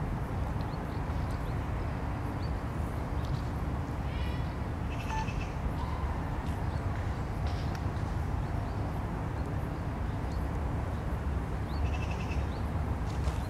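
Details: Eurasian beavers, three animals, during family social life in a Vistula oxbow lake on 29 July 2021; a few short whining, harmonic calls around four to five seconds and again near twelve seconds over steady low rumbling background noise.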